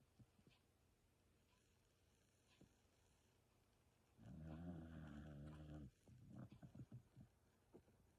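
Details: Pet dog snoring in its sleep: a quiet start, then a deep rumbling snore lasting nearly two seconds, followed by a run of short, softer snuffling breaths.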